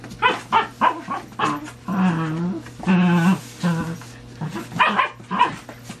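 Dachshunds give quick sharp yaps, then drawn-out, wavering whining moans, over a steady low hum.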